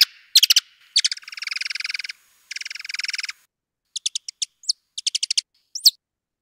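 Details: A male Mexican free-tailed bat's song, slowed about eight times, mixes sharp chirps, buzzy trilled chitters and quick rising squeaks arranged in differing series of notes.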